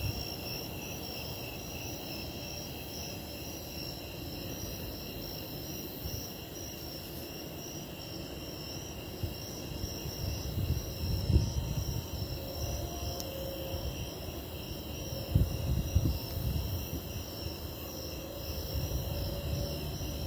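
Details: Snowy tree crickets trill in a steady, high chorus before an impending lightning storm, over a deep rumble of wind and distant storm.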